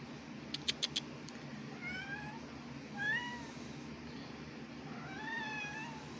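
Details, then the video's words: Two cats, Eva and Grim, meowing and talking to each other indoors: several rising then falling meows, each under a second, spread across the recording, with a few sharp clicks near the start over a steady low background hum. "Eva And Grim Meowing And Talking To Each Other"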